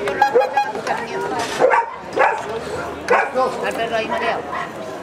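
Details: German shepherd in Gibraltar, 2013, gives several loud barks roughly every half second to second, mixed with people speaking.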